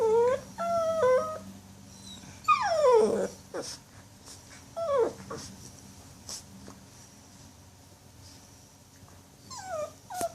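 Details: Before going to sleep, puppy Jill lets out a series of high, wavering whimpers and sliding whines, some stepped or quavering, spaced irregularly over a quiet indoor hum.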